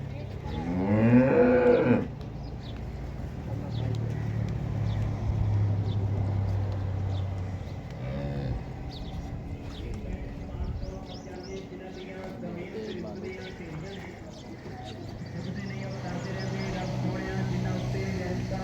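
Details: Friesian Cholistani cross cow offered for sale in Pakistan, 7 August 2024: a loud, harmonic, slightly wavering moo in the first two seconds, followed by a long low droning moo, with people talking and farmyard background noise.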